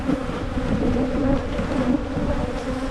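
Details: Steady, thick honey bee buzzing as a Michigan beekeeper works through hives making splits; the low hum flickers gently in pitch and never breaks, with soft rumbling handling noise beneath.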